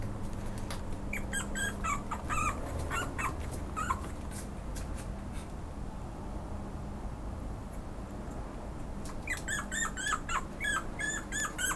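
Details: Pomeranian giving rapid, high-pitched yips and whimpering squeals in two busy bursts, one at the start and one near the end, with a quieter stretch between and a steady low hum underneath.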